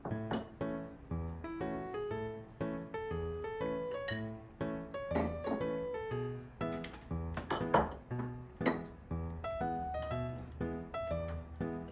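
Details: Gentle melodic background music plays indoors alongside light clinks of dishes and glassware; no animal calls are heard.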